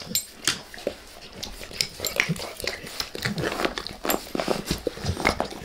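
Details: Face licking by Max, a pet dog: scattered wet clicks and sharper smacks arriving in irregular bursts, some louder tongue strokes standing out against quieter, sticky lapping.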